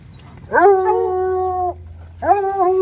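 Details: Bluetick Coonhounds out on a walk through town giving a long, steady howl of about a second, sliding up at the start and holding a level tone, followed after a short pause by a second rising howl.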